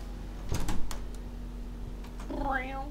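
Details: Smokie, a pet cat, gives a short rising then falling meow with clear harmonic bands near the end, preceded by a person speaking the cat's name and a steady low indoor hum.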